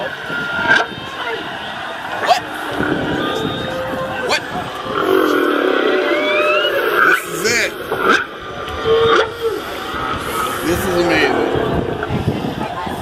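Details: Whales recorded underwater by a hydrophone dropped from a dive boat off Maui: drawn-out moans, long whistles, high squeals and rising whoops, with excited human voices over them.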